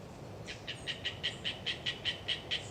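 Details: Pulsed calls of Hyla orientalis tree frogs in the Galeriç Swamp Forest, Kızılırmak Delta, Samsun, on a windy autumn day: quick rhythmic clicks, roughly four to five each second, clear over a soft wind rumble, with a faint high thin note.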